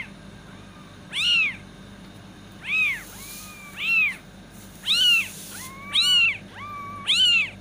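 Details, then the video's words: Kitten meowing to attract cats: six loud, arched, harmonic meows about once a second, several beginning with a flat, drawn-out tone before rising and falling, over a quiet low hum. "Cat Voice | kitten meowing to attract cats"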